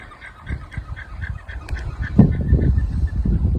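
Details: Alpacas on a UK smallholding, in a very wet, muddy year, sound a quick run of harsh, honking alarm notes, about four pulses a second. They are warning of a nearby dog, heard over steady low rumbling and wind-like noise.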